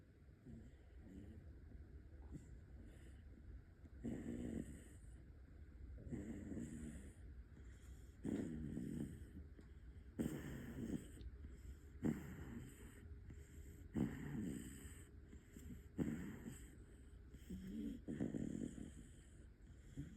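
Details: Five-month-old Bull Terrier puppy snoring in sleep, rhythmic low rumbling breaths roughly every two seconds, each snore a soft rasping swell, steady faint background hum.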